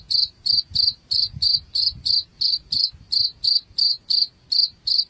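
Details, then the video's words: Cricket sound used against house rats: bright, ringing chirps repeated regularly about three times a second over a faint low rumble. "SUARA JANGKRIK Pengusir Tikus"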